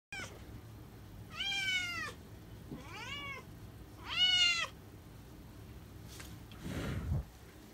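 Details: Female Scottish Fold with cream tabby coat, born January 2018, meowing three times: clear, arched, slightly rising-then-falling mews about every one and a half seconds, followed by a soft breathy sound.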